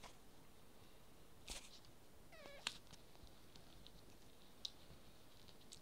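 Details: Five-week-old Yorkshire Terrier puppies: a single brief squeaky whine sliding downward in pitch, standing out against a quiet background of faint clicks and soft rustling.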